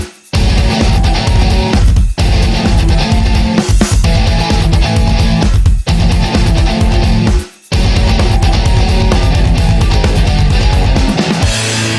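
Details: Loud heavy metal music with distorted guitar and pounding drums plays throughout, briefly dropping out twice; no animal sounds are heard.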